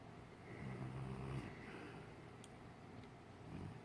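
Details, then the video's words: Jackson, an English Mastiff, snoring loudly while dreaming in his sleep: a low, rumbling snore that swells and fades in a slow breathing rhythm, with steady background noise. "Jackson Snoring (English Mastiff)"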